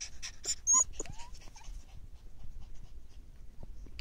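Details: Five-week-old Belgian Malinois shepherd puppies: a few short, high squeaky whimpers and a brief rising whine packed into the first second and a half, followed by quieter shuffling and soft rustling.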